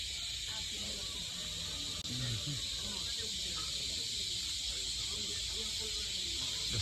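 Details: Cicadas singing in a graveyard in Patikul, Sulu: a steady, unbroken high hissing drone that fills the background throughout, with a man talking over it.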